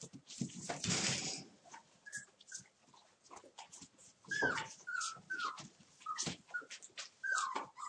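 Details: Torfheide 'B' litter puppies at one month, playing on 19 December, give short falling whines and squeaky yips repeated through the second half, after an opening burst of rustling and scraping.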